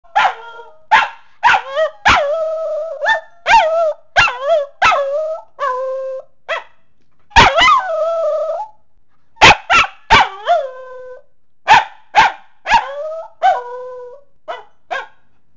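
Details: A female Pembroke Welsh Corgi howls, her favourite pastime, in a rapid series of clear, mid-pitched yips, some stretching into bending, wavering howls, roughly every half second to a second, with a brief pause midway.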